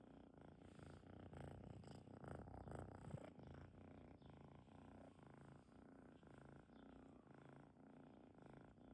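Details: Domestic cat purring softly and deeply at close range, a steady low rumbling throb pulsing in quick even beats over nine seconds, with no other clear sounds in a quiet setting.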